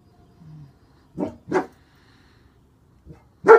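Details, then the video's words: Male German Shepherd with a bandage on his back leg barks while protecting: three short, harsh barks, two close together near the start and one louder bark at the end, separated by quiet pauses. "Bandage on Back Leg doesn't stop German Shepherd"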